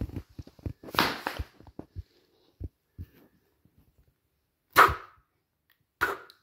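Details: Patterdale terrier pup, 10.5 months old, playing with his ball indoors: an early burst of scuffling and noisy yelps, a quiet stretch, then two short, sharp, loud barks near the end.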